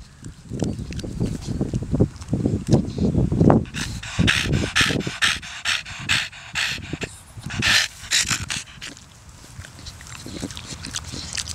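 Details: Indoors, Donut, a 13-year-old Staffordshire Bull Terrier cross joked to be part pig, breathes in rapid rough pants and snuffling snorts, steady at first and then broken by sharper bursts of breath.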